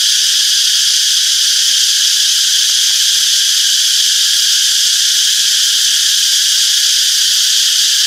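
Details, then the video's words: Cicadas chirping in a peaceful summer forest, heard as an even, intense, high electric-sounding whine that never pauses or changes level. "Relaxing Cicadas Chirping Sounds - Peaceful Summer Forest"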